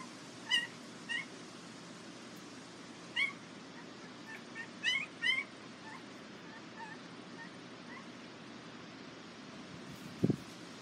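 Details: Border Collie puppies at the International Peace Gardens, 12 August 2018; scattered brief, thin, high squeaks and whimpers in small clusters, with a soft thump near the end and a faint hiss behind.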